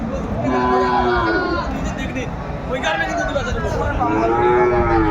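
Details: Sahiwal cattle at a cattle market in Kurigram, Bangladesh, on a winter morning, 31 December 2024. Several overlapping drawn-out moos with rich harmonics, some sliding downward, over a steady murmur of people bargaining.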